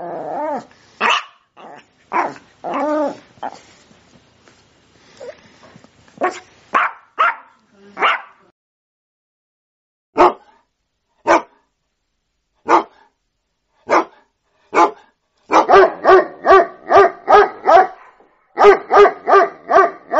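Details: Sprocker spaniel giving a long run of barks and yips, some tonal and whiny early on, then sharp single barks spaced about a second apart, ending in rapid bursts of loud, harmonic barking.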